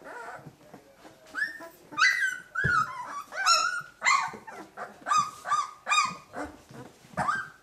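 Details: Two-week-old puppies from a litter of thirteen, whimpering and squealing in high, wavering cries that rise and fall, several overlapping yelps following one another about every half second.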